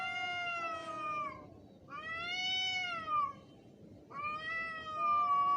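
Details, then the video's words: Angry cat during a fight, giving three long, harmonic-rich wailing howls, each a few seconds long, rising and then sagging in pitch, with a quieter low drawn tone running beneath them. "Angry cat's sound effects / cat fighting video"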